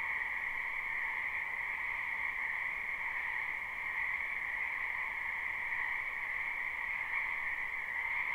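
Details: Spring frog chorus from a wetland behind a house, recorded live without looping: a dense, unbroken trilling drone in two steady bands, one lower and one higher pitched, holding level throughout with no other clear sounds.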